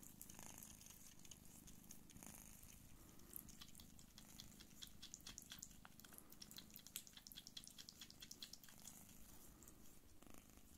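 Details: Don Sphynx queen Pūkė Chalisa suckling her kittens gives a quiet, continuous rumbling purr, while quick wet clicking and small smacking sounds patter over it in the second half.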